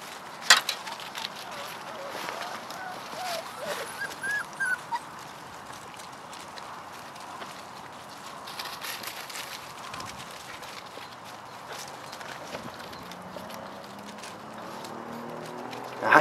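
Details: Chloe and Jericho's puppies playing and exploring around their den; a few brief, high, thin whimpers come in a cluster partway through, over steady rustling and scuffling, with sharp knocks at the start and end.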